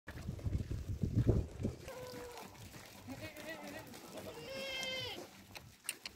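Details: Sirohi male goat on a goat farm: after a man's speech at the start, a series of wavering, harmonic bleats follows, ending in a longer, strained bleat with bright overtones.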